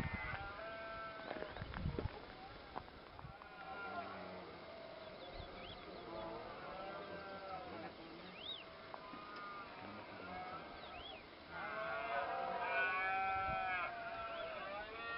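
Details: Red deer roaring in the rut at sunrise in Cabañeros National Park, Spain: long, low harmonic bellows drawn out over several seconds, swelling loudest near the end, with short rising bird chirps scattered between the roars.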